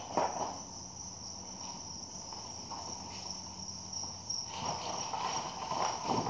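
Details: Commercially farmed crickets; a steady high thin trilling tone runs throughout without pause, while a person talks over it, with soft handling noises and a few knocks.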